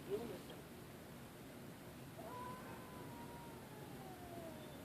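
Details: A standoff between two slow-moving cats late after midnight: a brief low cry opens, then one long sustained moan rises slightly and slides steadily downward over about two seconds, with a person's quiet voice in the background.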